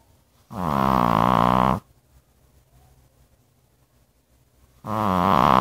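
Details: A dog snores in its sleep. One long, rough, droning snore lasts over a second. After a quiet pause, another rasping snore begins just before the end.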